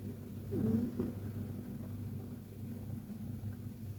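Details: KTO, a Persian cat, snoring softly during a deep, relaxed nap indoors; a short burst of low breathy sound near the start, then a steady low rumbling hum for the rest.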